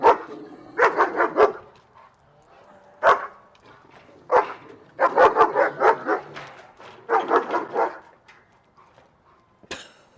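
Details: German Shepherd dog barking reactively at another dog; rapid volleys of harsh, broadband barks in groups, separated by short silences, a single bark between volleys, and faint human voices in the background.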